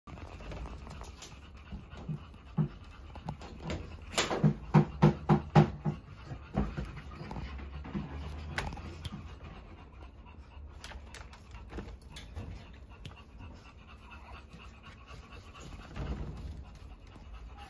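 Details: Pomeranian dog breathing noisily: a quick run of loud, rhythmic pants bunched in the middle, followed by softer, irregular huffs and light rustling, with quieter breathing continuing throughout.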